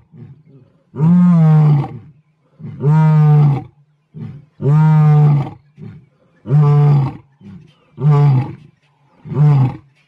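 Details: Deep, low lion roars from South Africa's wild population: six steady, booming grunting calls evenly spaced about every two seconds, with faint softer grunts between them.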